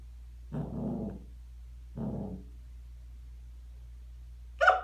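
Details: Mabel, a Scottish Terrier indoors, growing angry at being recorded after hiccuping; two low, rough growling barks about a second and a half apart, each trailing off, then a sharp higher yelp at the end over a steady low hum.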